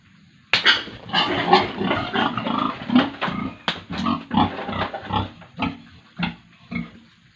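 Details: Pigs and piglets at a farm in Tripura, India, producing a busy run of harsh grunts and squeals after a sudden loud start, the calls crowding together before thinning out near the end.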